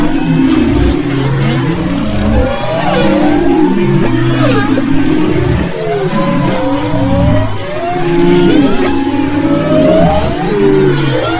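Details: Humpback whale song recorded off west Maui, February 22-24, 2011: layered low groans and pulsing hums under rising and falling whistled sweeps, many voices overlapping in a continuous underwater chorus.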